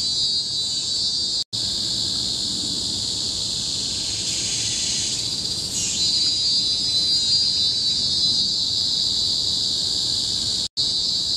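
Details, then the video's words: Loud cicada chorus in a Singapore nature reserve on Bukit Timah Hill, 2017; an unbroken high-pitched shrilling drone with a swelling, wavering passage midway and two very short silent cuts. "Symphony of the Cicadas in Bukit Timah Hill-Singapore"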